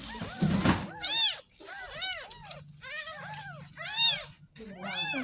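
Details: Ten-day-old kitten, found in a drain in front of a house, during its first bath: a run of high, arched meows with rich harmonics, several quick pairs, each rising then falling, after a brief burst of music and a low background hum.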